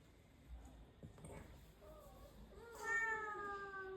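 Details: A domestic cat meows indoors: a rising-then-falling harmonic meow near the end, preceded by soft murmuring and faint speech.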